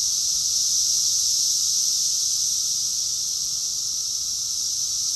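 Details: Rockville, Maryland cicada chorus from June 2021, a sustained high, hissing buzz that stays level and unbroken for the whole stretch, countless callers merged into one shimmering summer drone.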